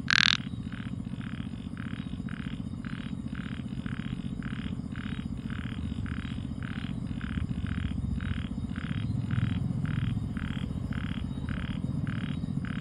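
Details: A frog calling at night: soft, rapid, repeated croaking pulses several per second, opening with one louder burst and set against a strong low rumbling hum.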